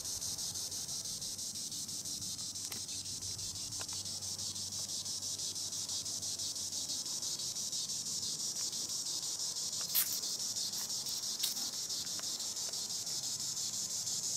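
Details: Green annual cicada, Tibicen linnei, singing in the treetops: a continuous dense high buzz, steady throughout, with faint pulsing and a few brief clicks.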